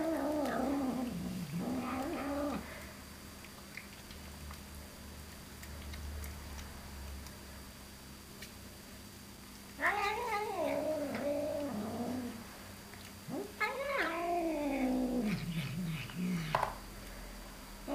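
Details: A pet cat making a strange noise indoors: drawn-out, wavering yowls that bend up and down in pitch, in three bursts of two to three seconds separated by quiet stretches with a low steady hum.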